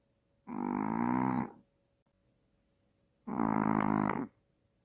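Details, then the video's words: Maltese dog snoring loudly while asleep, said to snore louder than the father and to show sleep apnea. Two long, buzzy, rasping snores about a second each, roughly three seconds apart, with quiet pauses between. "아빠보다 더 크게 코고는 말티즈"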